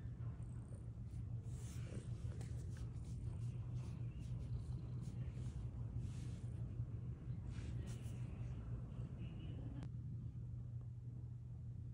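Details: A steady low rumble and hum fills the recording, with no clear animal voice. Faint indistinct rustles sit above the drone, but nothing stands out as a call.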